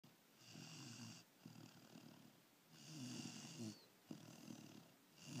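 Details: Kaya, a sleeping Labrador Retriever puppy, snores in a steady rhythm: about four raspy, breathy snores in quick succession, each a rough drawn-out rattle with a hissing edge, separated by short quiet pauses.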